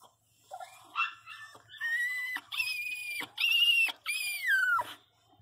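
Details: Pinscher crying loudly in pain while giving birth: long, high, drawn-out whining wails, each held steady then bending downward, four or five in a row separated by brief gaps, quiet room.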